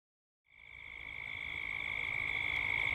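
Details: Cicadas at dusk in Gippsland, Australia: after a half-second of silence, a high, steady droning whine fades in and swells, with a fainter shimmering overtone above it.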